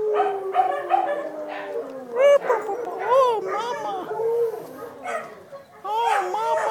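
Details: Dachshund puppies with their mother give high, wavering whines and short yips that rise and fall in quick arcs.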